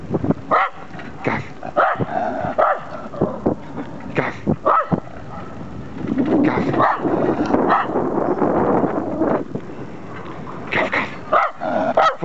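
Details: Max, a terrier, exploring the city of Ulm, gives a series of short sharp barks every second or so, with background music and a person's voice in between.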